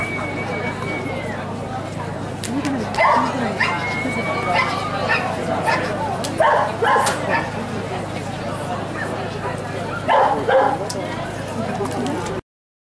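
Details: Barks from the Giant Schnauzer Blackmoore come in spaced groups, with a brief high whistled tone early on, voices and a steady low hum behind.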